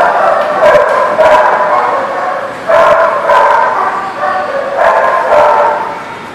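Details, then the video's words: Several dogs barking together at a place called the barking lot, recorded 29 October 2018; overlapping mid-pitched barks come in bursts, with louder clusters near the start, middle and end. "The Barking Lot"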